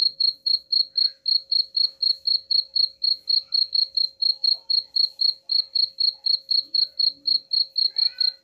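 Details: A cricket, presented as a rat-repelling sound, chirps without pause in rapid, even high-pitched pulses about four per second over a soft steady hum.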